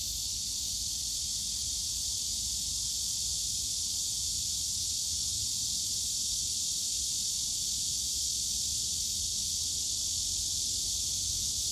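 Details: Cicadas on a summer day among the bamboo of Yongsan Family Park, their massed high, sizzling drone continuous and unchanging, over a slightly stronger low rumble of park noise.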